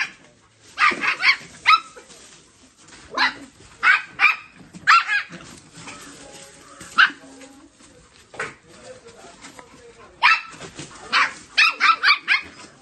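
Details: Barks from a Dogo Argentino pup kept with a Maltese, coming in uneven bursts of two to four sharp, high yaps separated by pauses, with faint voices and low background sounds between the bursts.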